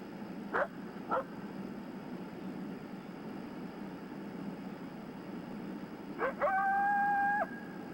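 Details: Coyote warning bark howl, an aggressive call telling all coyotes nearby that something is not right: two sharp barks, a long pause, two more barks, then a sustained, slightly wavering howl about a second long over steady background hiss.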